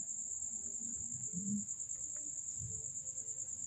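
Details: Cricket giving a continuous, very high-pitched, even trill that holds steady without a break, over faint low rumbling and soft background noise.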